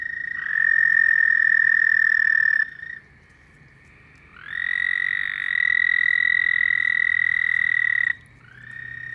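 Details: Night-time frog calls: long, even, high-pitched trills lasting two to four seconds each, separated by short quiet gaps, with one trill starting slightly lower before settling onto the same steady pitch.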